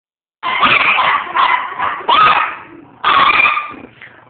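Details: Chihuahuas, part of a household of eight dogs, break into a howling session on a relaxed Saturday afternoon: loud, harsh, overlapping howls in several bursts, a short lull, then one more strong burst fading out.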